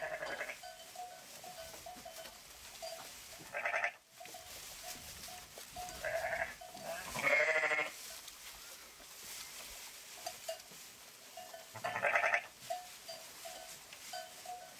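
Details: Sheep giving several short, quavering bleats spaced a few seconds apart, over a steady background of faint, regular, bell-like tinkling pips.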